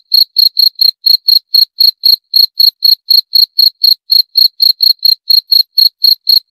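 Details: Cricket sounding a fast, regular train of thin, high chirps, close to four a second, steady in pitch and loudness with quiet in between.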